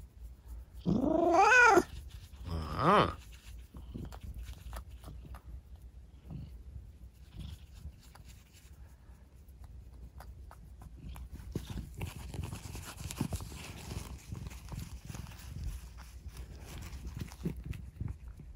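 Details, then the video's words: Rescued kitten, left lame in one leg after an accident, chatting indoors at night: two loud harmonic meows, the first long and wavering near one second, the second shorter around three seconds, then soft rustling and handling noises. "夜のおしゃべりネコ。Talking cat at night.在晚上说话的猫。"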